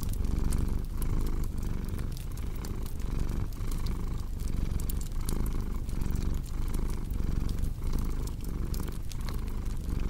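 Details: Purring cat, deep continuous rumbling pulsing with each breath roughly twice a second, mixed with frequent snapping crackles of a fireplace.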